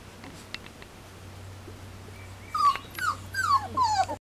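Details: Standard Poodle puppies aged three weeks, out in the open for the first time after their first taste of puppy gruel: a few faint ticks, then four loud, thin, downward-sliding whines in quick succession near the end over a constant low hum.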